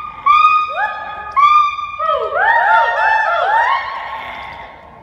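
Gibbons give a loud song of pure, hooting whoops that slide steeply upward in pitch. The notes come faster and overlap as the phrase builds, with several voices layering together in a room-like echo.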